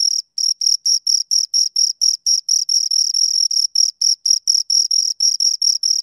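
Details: Pair of crickets producing a continuous run of high, ringing chirps, each burst a quick pulsed trill, repeated rapidly at roughly two per second with tiny pauses; clean background, nothing else audible.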